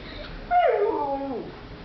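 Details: Siberian Husky Cyrus whimpering because he wants his sausage toy; one clear tonal whine that starts mid-pitched, slides downward and wavers before trailing off, indoors with little background noise.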